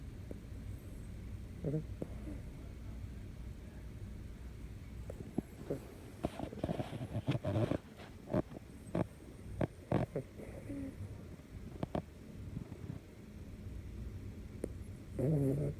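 A sleeping miniature long-haired dachshund snores with low, rumbling breaths, with some rustling noises.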